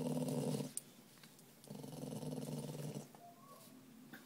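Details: Male spaniel mix dog growling because he does not want to go on his walk: two low, rough, rumbling growls, the first about a second long and the second longer, separated by a quiet gap.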